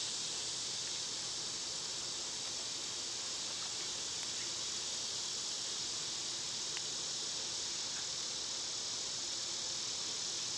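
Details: A continuous shrill buzz from summer cicadas stays even and unwavering throughout, a dense high hiss with a soft low rumble underneath.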